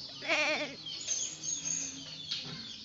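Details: Bothersome goat letting out one short, quavering bleat with a strong tremble, followed by quiet rustling and a constant high-pitched hiss in the background.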